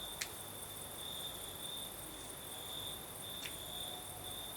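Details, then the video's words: Crickets in the Crimean south at night, night breeze blowing: a high, even trill throbbing in soft waves, broken by two brief sharp clicks, over a faint higher shimmer and low murmur. "Сверчки поют"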